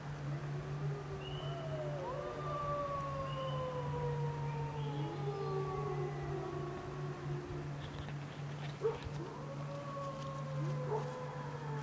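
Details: Wolves at the bottom of Grouse Mountain howling together after a car alarm set them off: several overlapping drawn-out howls slide up and down at different pitches, with short breaks, over a steady low hum.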